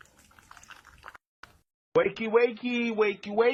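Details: Pet cat in a funny cat compilation, waking someone for school: after faint indoor noise, a loud drawn-out meow with strong harmonics, followed by repeated wavering meows, a person urging it to wake up and come on.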